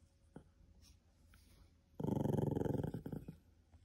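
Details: Cream poodle indoors, guarding something so it is not taken, gives one low, pulsing growl lasting just over a second after a near-silent start, with faint handling noises around it.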